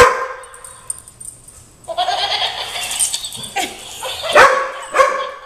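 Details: A German Shorthaired Pointer gives a run of loud, rough barks after a high, wavering tonal sound, reacting with dislike to a laughing-dog toy while a Weimaraner is also present.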